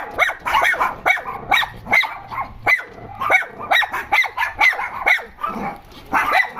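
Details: Dogs complaining about something, trading quick, strained barks and squeaky yelps in overlapping bursts more than twice a second, some sharp and rising, others hoarse.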